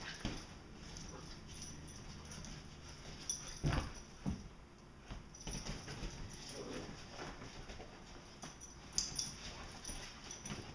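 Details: Two Vizslas play fighting in August, giving short scattered growls, grunts and whimpers amid scuffling.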